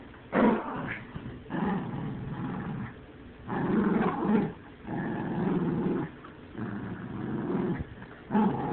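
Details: Dog growling in drawn-out, rough rumbling bouts, each lasting about a second, repeated steadily with short pauses between them, loud and close.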